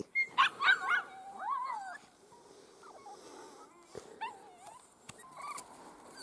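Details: Miniature Schnauzer puppies, young and playful, on a short outing outdoors: high whining yelps in a quick cluster of three, then softer wavering whimpers and scattered squeaks, with people talking nearby.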